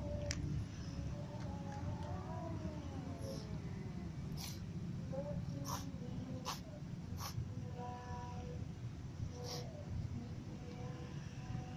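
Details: Several cats, among them a ginger cat and little kittens, at feeding time: a few thin, arching meows early on, then scattered short mews between crisp clicks of eating against a low background hum.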